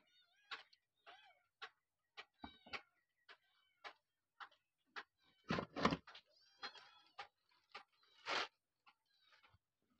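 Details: Mother cat and her abandoned kittens: a rapid series of brief, piercing, high-pitched mews, some rising then falling, nearly every half second, with a few louder, broader cries standing out toward the second half.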